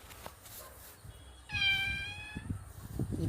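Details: Mother cat of the kitten called Pilli Babu, in the evening, gives a single steady, high meow lasting nearly a second with clear overtones. Soft low thumps and background rustling follow.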